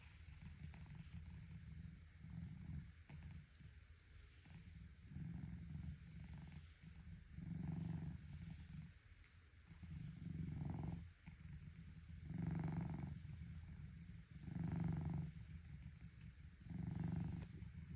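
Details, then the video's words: A sleeping cat named Cinnamon Roll snoring in the morning, soft low rumbling breaths swelling and fading roughly every two to three seconds, with a faint steady high tone in the background. "Cinnamon roll:Please don't disturb my snoring when I sleep"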